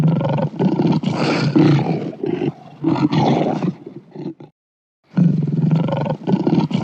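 A lion gives deep, rumbling roars in long pulsing bursts, with a brief pause before another roar.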